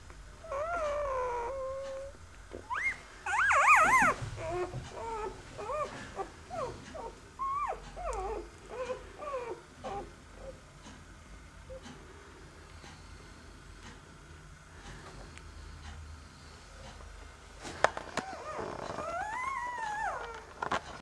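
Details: A litter of Hovawart puppies lies snuggled close together. The pups give many short, wavering whimpers and squeaky yelps, busy at first and sparser midway. A long rising-and-falling whine comes near the end.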